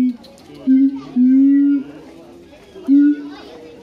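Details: Siamang at Higashiyama Zoo giving loud, steady low hoots, each held up to about half a second with short gaps between, over a murmur of visitor chatter.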